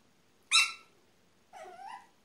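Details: Apricot Miniature Poodle puppies of a March 3 2015 litter, with their father Rudy; one sharp high squeal, then a longer wavering whine that rises and falls, in a quiet room.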